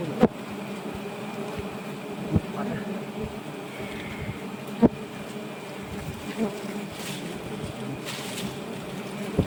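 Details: Swarm of giant honey bees around a nest about 1.2 m long during harvesting, a continuous low buzzing drone with occasional loud knocks and a faint higher hiss in the background.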